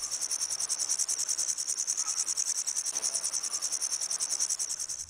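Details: A grasshopper's dense, sizzling buzz is held without a break, made of quick, even pulses, with nothing else clearly audible.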